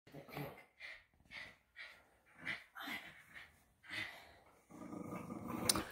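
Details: Strong Patterdale Terrier pup pulling hard to show its jaw strength: short raspy growling grunts in bursts roughly every half second to a second, then a louder rustling scuffle at the end.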